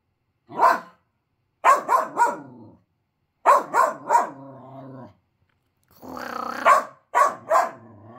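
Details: A 5-month-old male Finnish Lapphund puppy gives sharp, lower-pitched barks in quick bursts of two or three with low grumbles between, seemingly cross that a toy was put away; not his usual high excited bark; Finnish Lapphund.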